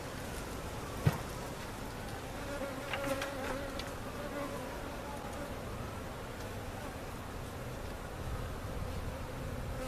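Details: Steady drone of many honey bees, removed with comb from a cutout and being settled at Jerome Bee Farm in Central Oklahoma; even hum with gliding pitches of bees flying past and a sharp knock early on.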